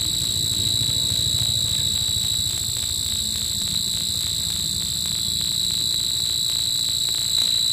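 An insect at night gives a steady, high, ringing trill that never breaks.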